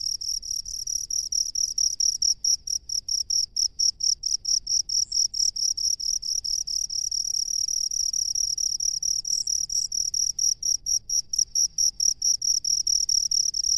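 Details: Piercing high chirping of a cricket dwelling in rice fields, fast regular pulses repeated throughout with a few brief denser stretches, over faint low background hum.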